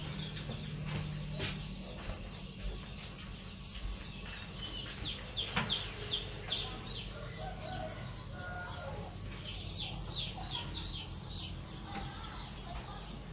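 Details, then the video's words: Cricket sound offered as a master track for songbirds, loud and clear: a long run of rapid, shrill chirps, nearly four per second, with faint bird twitters and occasional clicks behind, stopping just before the end. "masteran jangkrik untuk burung"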